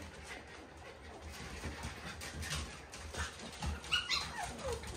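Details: Standard Shiba Inu puppies wrestling and meeting an unfamiliar puppy. Short, high, thin whimpers and yips stand out near the end over a steady low rumble and the scuffling of play.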